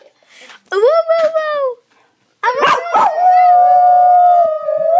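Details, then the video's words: A Basenji gives its yodel-like barroo for children, a harmonic-rich wavering howl with sharp yips between phrases. "Basenji - Zin "barrooing" for the kids"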